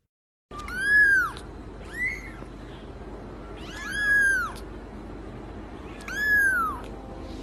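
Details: Cat meowing four times in seven seconds, each call a bright, harmonic wail that rises then falls, spaced unevenly over a steady background hiss.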